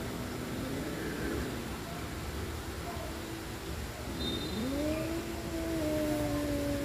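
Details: Cat couple Adi and Asia in a playful fight before loving, a faint low murmur and then a clear yowl that rises and holds a steady, slightly falling tone for about two seconds over background hiss.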